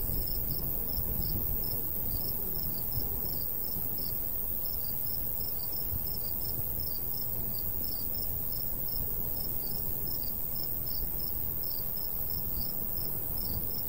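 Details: Rural summer crickets near a golden wheat field: rapid, steady high-pitched pulses, partly overlapping from more than one insect, layered over low, continuous breeze noise.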